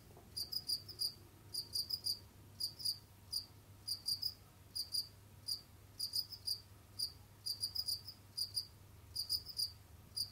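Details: Captive Jamaican field cricket moving around and hunting, singing bright, high, pulsed chirps in quick trains about every half second, some doubled, against a low background hum.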